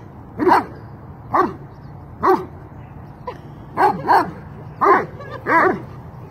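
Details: Dobermanns playing outside in cold weather, giving about eight sharp, loud barks at irregular intervals, some in quick pairs, over a quiet background.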